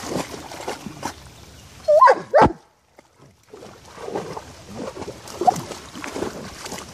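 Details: Génie, a female German Shepherd, romping in a puddle of water, gives two sharp barks in quick succession around the middle, followed by a brief silence and then steady splashing and movement noise.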